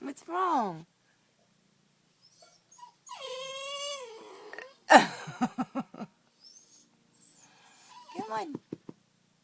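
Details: Pitbull puppy DeNero whimpers indoors in a bedroom, too scared to pass Barbara, a flame point Siamese cat blocking the only way out; one long steady high whine lasts about a second and a half, framed by a person's coaxing voice.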